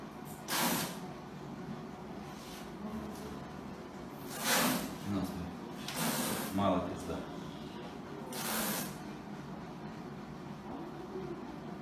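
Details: A caracal being vaccinated at the vet gives several sharp, breathy hisses, each a brief burst of rushing air, between calm human voices.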